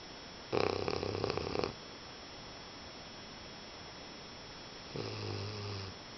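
An English Bulldog snores, a loud rattling breath followed by a softer, hoarse droning one.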